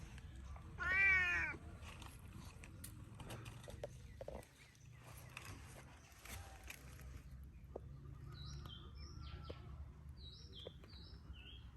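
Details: A pet cat gives one loud, rising-then-falling meow, followed by quiet room noise with faint, high, chirping sounds later on.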